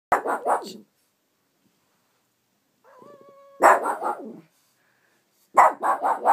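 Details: Roxy, a pet Shih Tzu, barks at a new phone app she dislikes: a short burst of rapid, harsh barks, then a steady electronic tone from the phone, followed by two more quick bark volleys.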